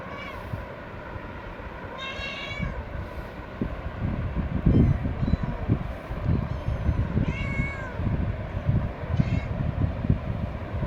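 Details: Domestic cat giving three short meows, each a rising then falling harmonic cry, spaced several seconds apart over a loud, steady low rumble like a moving vehicle or train.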